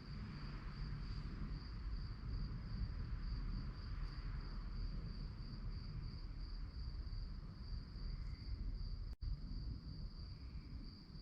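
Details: Night-time crickets keep up an unbroken, fast, shrill pulsing chirp. A deep, constant background rumble sits underneath, and one brief click breaks in near the end.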